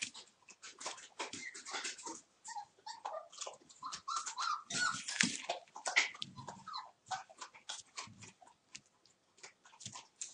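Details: Puppies from the Torfheide 'B' litter, one month old, playing on 19 December; overlapping whines and small growls mix with dense scratching and clattering, the activity peaking midway before thinning into scattered clicks.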